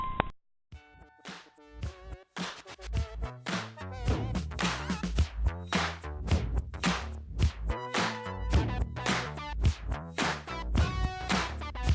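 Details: Upbeat electronic dance music with a drum machine beat and synth notes plays throughout after a brief pause, and no animal voice is heard.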